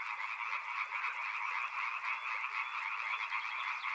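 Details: Frogs croak en masse beside a river, their overlapping calls merging into a steady rattling drone with loose, uneven pulses roughly twice a second.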